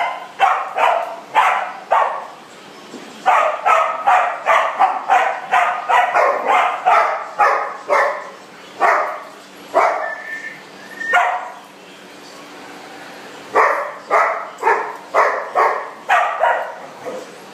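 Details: Dogs playing together in a big dog party room, one barking in rapid runs of sharp, mid-pitched barks roughly three per second, with brief pauses and a thin whine near the middle, in an echoing indoor space.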